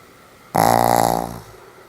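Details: Sam the Pomeranian, deep asleep, lets out a single harsh, rattling snore lasting about a second, beginning abruptly at full strength and tailing off into a soft hum.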